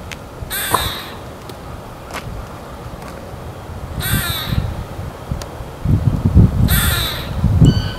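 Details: Squirrel calling, either greeting or angry: three sharp, hissing, raspy barks spaced a few seconds apart, with loud low thumps and rustling handling noise in between.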